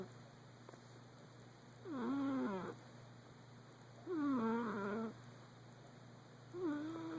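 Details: A male Persian cat, snoring and dreaming in his sleep, gives three drawn-out, tonal moaning murmurs that dip then rise in pitch, about two seconds apart, over a steady low hum.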